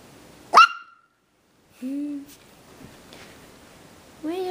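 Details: Havanese puppy Logan, a playful, adventurous AKC-registered male born December 27, 2012, gives one sharp high-pitched yelp, then two lower drawn-out whimpers a couple of seconds apart, while a person talks softly to him.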